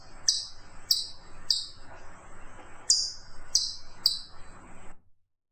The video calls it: FUNNY CHIPMUNK SOUNDS